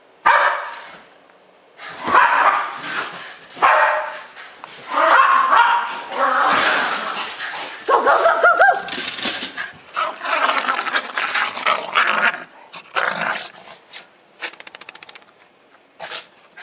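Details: Jasper and Jaclyn, a pair of roughly two-year-old Jack Russell Terriers, wound up and romping through snow in Lenexa the day after Christmas 2009; harsh, noisy play growls and barks come in long rough bursts, with people talking.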